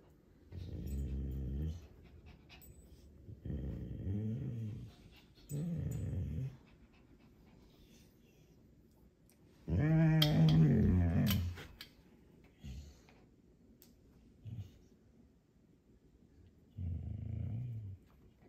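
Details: Doberman Pinscher, a pet dog indoors, growling in several low rumbling bursts of one to two seconds each, with a louder, harsher outburst near the middle, spaced by quiet pauses.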